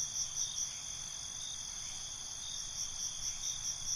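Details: Nighttime crickets in chorus, high steady buzzing trill broken by brief pulsing chirps about every quarter second at the start and end, soft low background noise.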